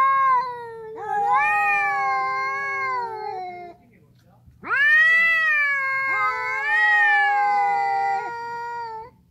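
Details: Ginger street cats fighting over territory: long, loud, wavering yowls in two drawn-out bouts, each several seconds with rising and falling pitch, separated by a brief pause, faint hum underneath.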